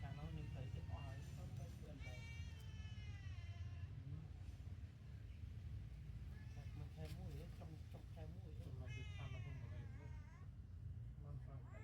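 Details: Newborn kittens sleeping together after milk. Thin, high, wavering mews come in two short bursts, early and near the end, over continuous Khmer speech and a strong low hum.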